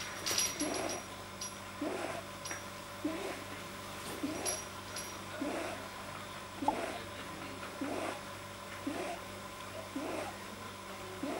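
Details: Pet male rabbit, deeply relaxed, making odd noises that a vet blamed on a probably too-long soft palate; soft, low snorting grunts repeat about once a second in a steady rhythm, with faint clicks in a quiet room.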